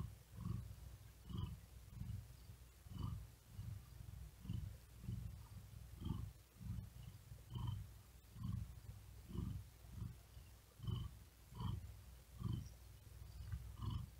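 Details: Hot, exhausted cat lying on a cool wooden desk, unable to sleep, purring with fast laboured breaths: steady deep rumbling pulses rise and fall at a quick, even pace, with faint airy overtones on each breath and no other sounds.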